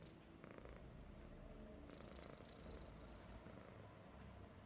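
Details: Happy Persian cat snoring: steady deep rumble dominated by low tones, rough and grainy throughout, with faint short breathy whistles riding above.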